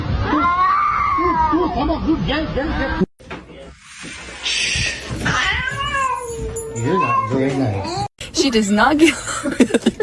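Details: Domestic cat in a funny cat compilation, uttering several arching meows that rise and then fall in pitch. People talk over and between the calls, with background noise throughout.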